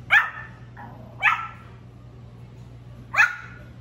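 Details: Three sharp, high-pitched yips from a male Pomeranian puppy in his first barking days, with a faint softer yelp between the first two and a low constant hum underneath.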